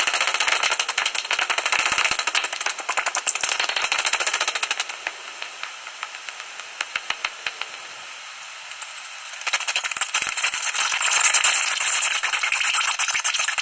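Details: Pre-dawn rattle from a common noctule roost in a tree hollow near Ibbenbüren, Germany, 17 August 2019. Rapid clicking chatter fills the opening seconds, drops to a soft hiss with sparse ticks, then returns as a loud, buzzing crackle.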